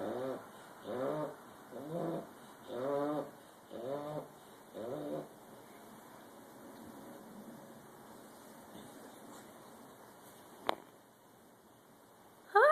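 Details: A bulldog snores with six rasping, voiced breaths, each just under a second apart. The snoring then falls quiet, broken only by a sharp click and a sudden loud noise at the very end.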